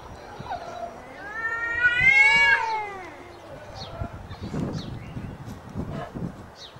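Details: Cats meowing before a fight: a loud, drawn-out wailing meow rising and then falling in pitch, with rich harmonics, lasting about a second and a half, followed by quieter rustling and scattered faint noises.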